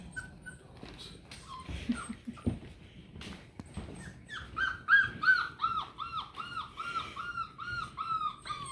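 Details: Pocket Beagle puppy: after scattered quiet rustles and bumps, a fast run of short, high, arched whining notes repeats close to three per second, each bending up then down, rough and slightly uneven.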